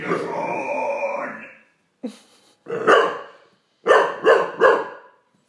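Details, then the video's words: Olde English Bulldogge, a male, scared by a Megatron toy, giving a long growling bark, then a short yelp and a run of three sharp barks about a third of a second apart. "Olde English Bulldogge Daddy scares with Megatron"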